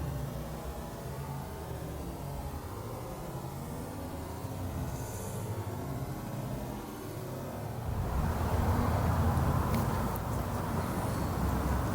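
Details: Low rumbling vehicle or train noise grows louder partway through, with no animal voice heard.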